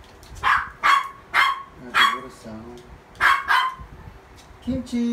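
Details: Adopted toy poodle barking indoors at water running through the pipes, August 2018: a run of four quick shrill yaps, a short lull with faint voices, then two more barks and a softer final yip.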